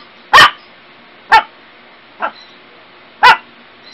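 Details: Dog from a funny compilation of barking dogs and puppies delivers four short, sharp, clipped barks about one second apart, the third noticeably softer, over a faint steady hiss.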